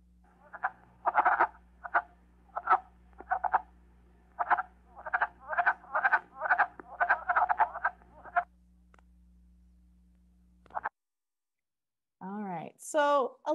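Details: Wood frogs, a common Michigan spring call, give short, hoarse, duck-like quacking clucks, a "chuck chuck chuck" repeated in a quick, uneven series.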